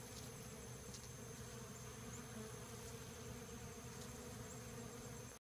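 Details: Many Western honey bees swarming Rio Grande Purslane at a research station in Hammond, Louisiana make a steady, low, droning buzz that holds without pause.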